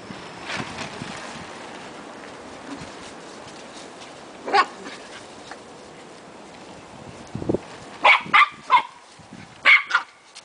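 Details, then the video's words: Two puppies playing around in a backyard: mostly quiet rustling at first, a lone short yip midway, then a quick cluster of sharp, high, ringing yips and yelps toward the end. "Puppies playing"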